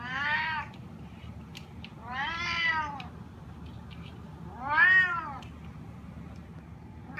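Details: Sushi, a spotted snow Bengal cat, gives long, drawn-out meows, each rising then falling, asking to be let outside.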